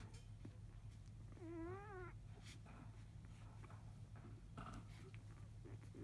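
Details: Five-day-old field-type Labrador Retriever puppies, just after 1 pm, while the mother dog is away eating; one wavering, high, tonal whine lasting under a second, with faint scattered squeaks and a steady low hum indoors.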